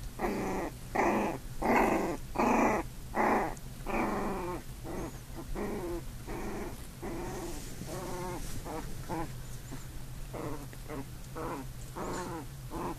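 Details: Two puppies, an older big brother and a newborn, play-fighting indoors: a run of short harmonic growls and yelping whines, about one burst per second, loud at first and then softer and choppier as the scuffle goes on.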